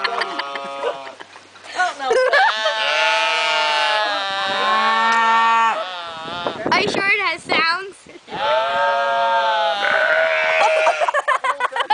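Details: Sheep producing a run of drawn-out, voice-like bleats with rich harmonics, wobbling and bending in pitch, separated by brief gulping, burp-like breaks, the cries repeated almost continuously over twelve seconds.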